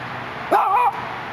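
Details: Dachshund at a gate in Los Angeles lets out one drawn-out bark that rises and then bends downward, lasting under half a second, with steady urban noise behind it.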